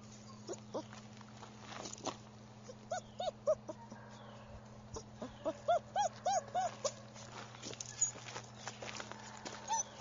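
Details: German Shepherd puppy whimpering: short, high, arched whines in a loose series, densest midway, with scattered clicks and a steady low hum behind.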